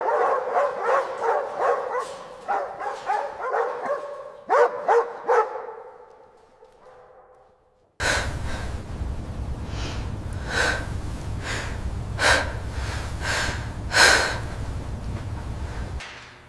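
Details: A female dog crying behind bars gives high, strained whimpers and whines in quick repeated bursts for about six seconds, fading to quiet, then a noisier stretch with sharp broadband bursts.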